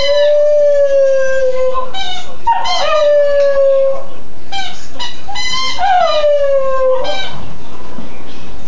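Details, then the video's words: A female Westie howls along to her squeaky chew in sustained, steady notes that ease lower over about two seconds. Short warbling upward yelps break in between each drawn-out, falling howl. "West highland terrier singing to her squeaky chew"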